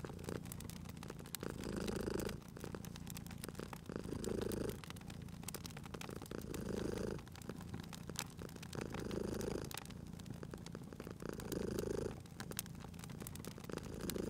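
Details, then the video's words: A cute cat purrs by a crackling fireplace in cozy spring surroundings; about six rhythmic purr cycles, each a low throaty swell, are heard beneath continuous sharp crackling of burning wood. "Cute Purring Cat at a Crackling Fireplace"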